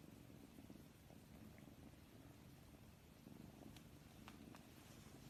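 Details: Soft low purr of a domestic cat, even rumbling pulses throughout, a few faint clicks near the end.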